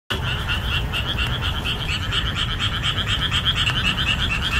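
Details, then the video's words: Boreal digging frogs calling loudly in a summer marshland after the rainy season ends. Many voices overlap in rhythmic, repeated nasal croaks that form a continuous pulsing chorus over low rumbling background noise. "목 터지게 우는 맹꽁이 울음소리"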